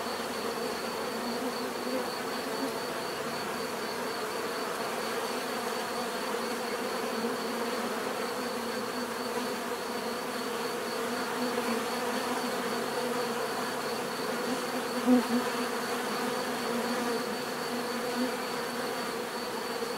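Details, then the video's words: Many bees buzzing together in a steady, unbroken drone, with layered hum bands and a faint high whine running throughout; no other clear sounds. "bees therapy relaxing natural buzzing sound"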